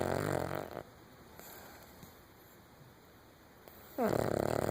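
A Cavalier King Charles Spaniel snores in loud, raspy rumbles with a quiet pause between breaths.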